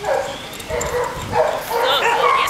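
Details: Red and white terrier held at a county animal control shelter in Newnan, Georgia, giving short yipping barks and whines with a noisy, echoing kennel background.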